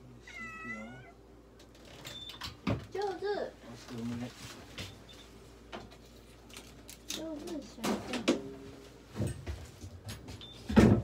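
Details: Russian Blue cat at a veterinary clinic during an X-ray examination, giving a rising then falling harmonic meow near the start, then a few shorter strained mewing sounds, mixed with people talking, handling noises and knocks in a small room.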